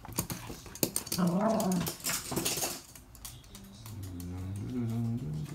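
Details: Toy Poodles playing together on their usual morning obstacle run indoors; low, rumbling growls with short whiny rising notes, over scrabbling paw clicks and thumps on the floor.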